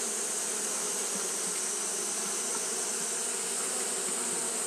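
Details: Japanese honey bees keep up fanning on a hot day, producing a constant whirring buzz with a deep layered hum and a continuous high hiss.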